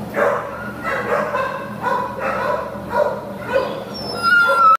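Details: Adoptable American Pit Bull Terrier Heidi, filmed 5/29/2015, makes five drawn-out, nasal whimpering yips spaced about a second apart, followed at the close by a sharp, high squeaky whistle.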